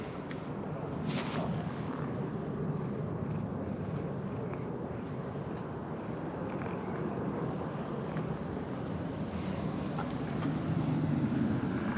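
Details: Steady low outdoor rumble, like wind or distant traffic, runs throughout at a quiet level, with faint scattered ticks and no clear animal voice.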